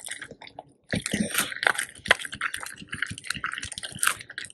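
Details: A raw duck head is eaten whole by the Labrador Retrievers Tico and Remi, both male pets. A brief silence gives way to loud, squishy crunching and gnawing indoors, with a faint voice in the background.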